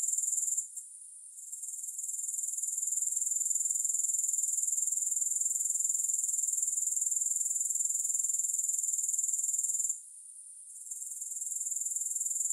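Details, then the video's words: High, rapid, rhythmic chirping of grasshoppers forms a continuous shimmering trill. It drops out briefly near the start and again around ten seconds, then builds back to full strength. "Grass Hopper Sounds"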